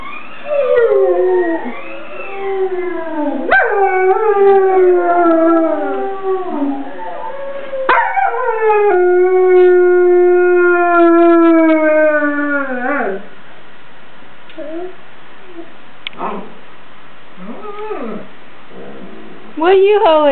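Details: A 13-month-old German Shepherd howls in response to a recording of another German Shepherd howling: long wavering howls that rise then slide down, several in a row, with a steady held tone near the end, then quieter yips.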